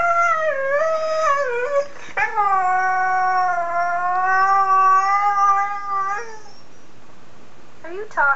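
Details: A husky-collie mix just over a year old chimes in while a video plays, singing in long, mellow howls that waver, then slowly slide downward.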